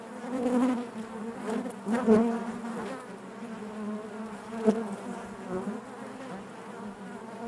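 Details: Honey bees humming inside their hive, a dense steady drone built from stacked harmonic bands, with brief louder swells near two and four and a half seconds as individual bees pass close.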